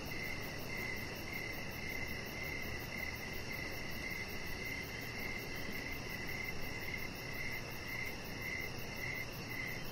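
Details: Crickets on an evening deck outside, a regular train of high, short chirps repeating about twice each second, layered over a low constant rumble and a quieter rapid buzzing far above.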